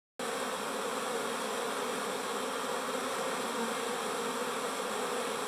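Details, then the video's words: Busy bees buzzing together: a dense, steady hum of many wings that starts abruptly after a brief moment of silence and holds at an even loudness without pauses or other sounds. "Bees buzz"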